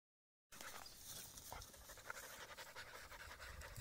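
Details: Aiza, a husky, among reeds: after half a second of silence, soft breathy panting sets in as a steady rush of airy noise with faint pulsing breaths.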